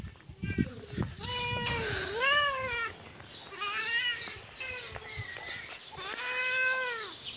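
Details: Kitten and cat at play in a yard, giving a run of clear, drawn-out meows with rich harmonics, each bending up then down, about four calls in seven seconds, with light background noise.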